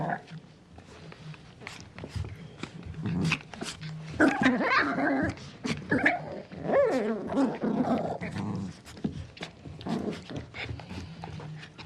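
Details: Feisty puppy growling playfully: low rumbling at first, then louder wavering growls mixed with quick high-pitched barks about four per second, fading back to a low grumble.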